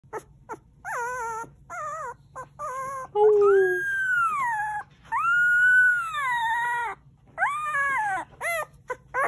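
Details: A female Shetland Sheepdog puppy, held on her back in someone's arms during exercise, complains and learns to howl (Germantown, Maryland, USA, 11 September 2020): squeaky yips and whines, then long howls rising and sagging in pitch, trailing into yelps.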